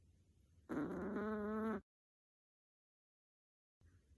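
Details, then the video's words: A Chihuahua puppy snoring: one drawn-out, nasal, whistling snore lasting about a second, then near silence before faint breathing resumes. "강아지 치와와 코골이🥱|Snoring a puppy"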